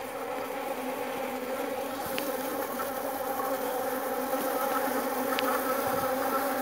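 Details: Jandaíra stingless bees kept in a hive box at a home meliponary in São Paulo with over 30 bee boxes; steady droning buzz with layered harmonic hum, unbroken throughout, a couple of faint brief clicks.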